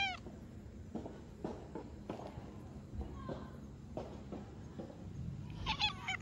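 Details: An orange tabby stray cat gives short, wavering "nya-nya" meows at the start and again at the end.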